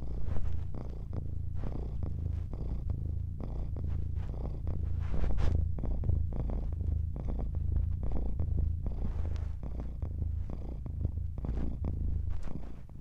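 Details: Continuous low purring from a cat, a rumbling drone that pulses with its breathing in short regular cycles, a little louder around the middle, against a quiet background.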